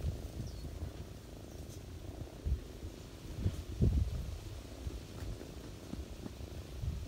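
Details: Ginger cat nursing her kittens on a person's lap in autumn, purring in a low, rough, pulsing rumble with slight swells, plus faint soft rustling.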